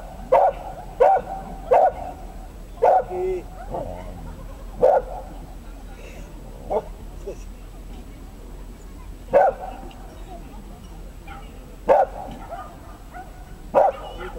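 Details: At a Dachshund agility trial in Trier, 2012, a small dog gives sharp, high barks in irregular bursts, with people talking nearby.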